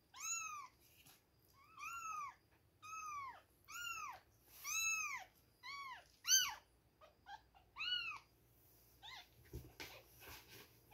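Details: Baby kittens, two weeks old, calling at milk time: clear, evenly spaced, arching mews about one per second, some shorter and higher near the middle, then a few soft scuffling noises at the end.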